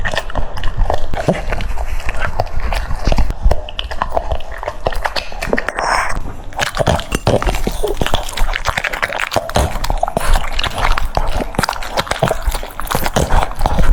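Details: French Bulldog munching cucumbers, continuous crunching and biting with a brief high squeaky sound near the middle, then steady rapid chewing to the end.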